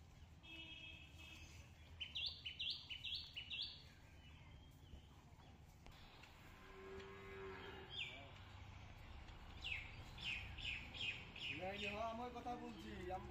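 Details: Cattle at a cattle market where Indian border cross, Sahiwal, Nepali Gir and Brahman cross cows are for sale; low, drawn-out moos with stacked harmonics, one rising near the end, over repeated chirping bird calls and a steady background hum.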